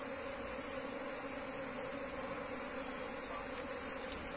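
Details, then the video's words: Many bees from a wild colony transferred into a hive box hum in a dense, continuous drone over a hiss of background noise, with no breaks in the sound. "pindah lebah liar ke kotak budidaya"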